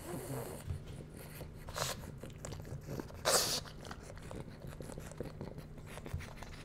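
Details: Bowser, a pug puppy indoors, tries out dog-safe foods: soft crunching and chewing noises with short breathy sniffs, and one sharp hissing snort burst midway, over a steady low room hum.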